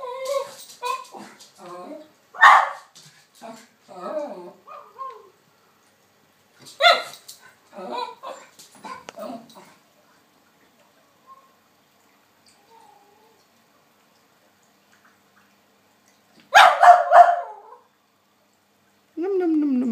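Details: A female West Highland White Terrier barks at a recording of herself. A few loud, sharp barks come in separate bursts near the start, middle and end, among human talking and quieter voice-like sounds.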